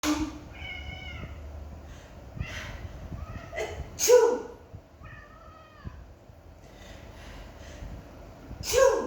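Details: Pet cat reacting angrily indoors when a person sneezes: drawn-out, wavering meows, each followed a few seconds later by a sharp human sneeze, then another sneeze near the end.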